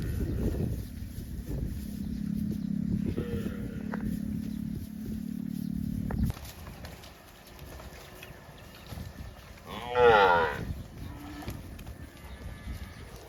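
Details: Tame cows roaming village roads toward rice fields; a long steady low moo for about six seconds, then a brief higher harmonic call near ten seconds amid quiet outdoor background.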